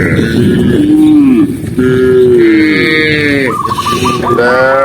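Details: Cows herded as they run down a green hillside; low moos with a downward bend at the close, then a higher call, followed by a quick series of short stepped high tones at the end.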